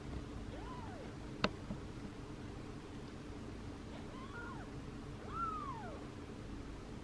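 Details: Tiny kittens Daisy, Darcy and Diesel, newly opening their eyes for the first time, give soft rising-and-falling mews, a wavering one, then a clearer drawn-out mew, with one sharp click early on.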